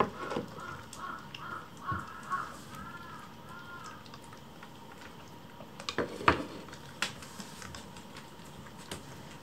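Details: Hungry rescued kittens crowd around their keeper indoors while food is prepared, urging a meal: a run of short, high, arching meows about twice a second for three seconds, followed by scattered knocks and household clatter.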